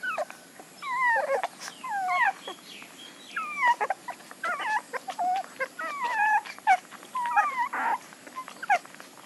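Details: Puppies whimpering in a steady run of short, high, squeaky cries, each sliding quickly downward, overlapping from several directions with brief pauses, over a faint constant background hiss.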